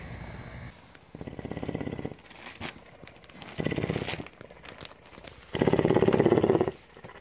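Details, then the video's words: Tawney, a cougar at CARE in Bridgeport, Texas, purring in a rhythmic cycle: quieter pulsed rumbles building into a final longer, louder burst, with soft purring between. "One hour of: Cougar purr!"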